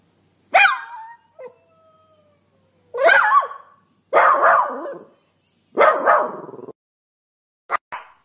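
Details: Sprocker spaniel letting out a high yelp with a whining tail, then three loud, rough barks roughly a second and a half apart and two short clipped yips at the end.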